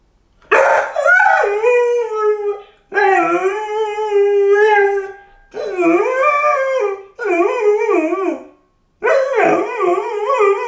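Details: A five-month-old Golden Retriever puppy, left home alone, gives five long howls, each lasting one to two seconds with short pauses between. The howls waver up and down and carry rich harmonics.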